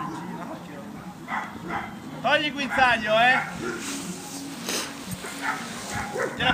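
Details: Amba, a Labrador Retriever, barks during defence training at FreeDog: a tight run of harsh, harmonic barks in the middle, with a person's voice talking before and after.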